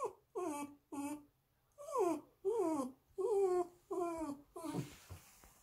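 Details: Female Bichon Frise born March 2019, described as quiet and timid, indoors as her owner leaves for a walk; a string of eight loud, wavering whines, some falling, with pauses between, while a person talks about going for a walk.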